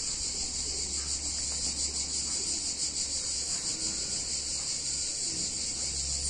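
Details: Summer chorus of cicadas in an Italian town on a hot day, a steady high-pitched sizzling buzz that never pauses, gently throbbing in intensity, with a low constant rumble underneath.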